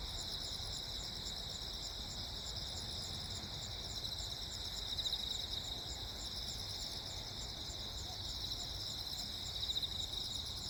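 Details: Crickets on Jeju Island during lightning, 15 August 2024: an unbroken, high, shimmering trill chorus in several bands, with occasional faint bursts of louder noise and a low steady rumble beneath.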